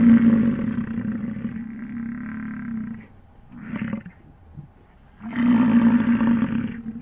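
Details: An American bison bull gives long, deep, rumbling roars on a morning of the 2022 rut in the Grand Teton, Jackson Hole or Yellowstone area, amid chasing, fighting and mating.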